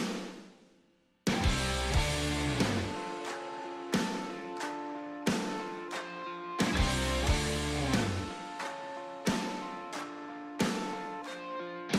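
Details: Music plays throughout, with rhythmic drum hits, bass and guitar chords, and no animal sound at all.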